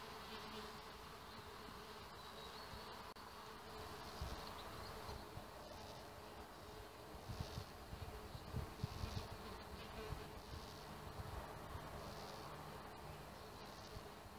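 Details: Several male red mason bees patrolling a small bee hotel in search of females, giving a continuous humming buzz with a deeper tone and occasional louder passes as bees fly close.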